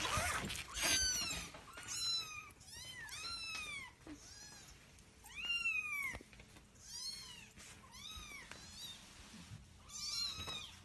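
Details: Husky indoors making a drama while its collar is put on: a run of high, arching whines and yowls, each rising then sliding down, about eight in close succession with short gaps between.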